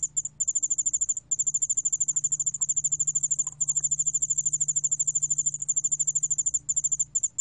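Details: Yeoul-allak-bangul-beolle cricket, 2020 recording by Korea's National Institute of Biological Resources: high, fast-pulsed trill delivered in long bursts separated by short pauses, with faint low hum behind.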